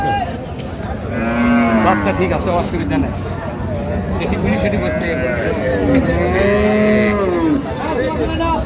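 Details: At the Raniganj cattle market in Dinajpur on 23 October 2025, where cows are sold with their calves, two long, bending lowing calls come about five seconds apart above steady crowd chatter and distant traffic.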